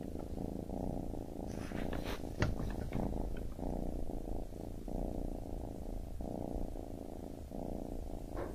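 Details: Low, steady purring from a baby kitten, rising and falling with each breath, with a few soft high-pitched rustles and a small knock partway through.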